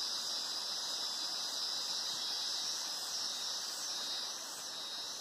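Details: Loud cicada chorus in the Mata Atlântica near Araras, Petrópolis, Rio de Janeiro, Brazil: an unbroken piercing buzz, slightly wavering in intensity, fading a little toward the end.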